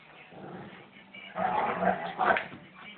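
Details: Two household German Shepherds wrestling in play, the older female putting the younger male in his place; a quiet start breaks into a louder snarling growl with two sharp peaks.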